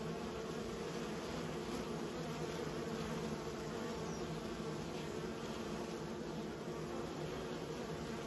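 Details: Honey bees from a kept colony producing an unbroken low hum, dense and steady, with faint flickers of higher buzzing over the drone.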